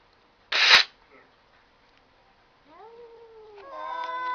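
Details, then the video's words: Indoor cat talk: a sharp bang, a quiet gap, then a rising meow that bends down and flows into a louder, steady harmonic call. "cats talking"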